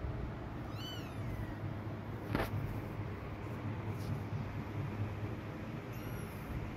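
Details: Mother cat walking away from her hidden kittens: one thin, high mew with rising then falling harmonics early on, a fainter second near the end, over a steady low rumble of background noise.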